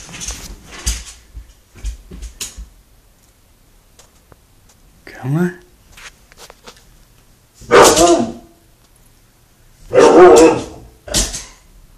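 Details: Siberian Husky indoors, afraid to come around a corner; a person calls it by name and laughs, then the dog gives a rising whine and two loud, harsh, broadband bark-like vocalizations a few seconds apart.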